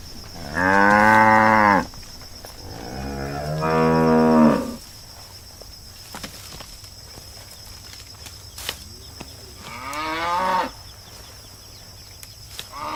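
A cow lows three times, each moo a long, rich, nasal tone lasting one to two seconds. The middle call swells and wavers while the last rises before breaking off, with quiet gaps between.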